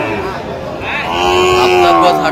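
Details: Young Sahiwal bull calves at a cattle market in Brahmanbaria, Bangladesh, on 21 October 2025: one drawn-out, tonal, slightly wavering moo rising out of busy market chatter and nearby human voices.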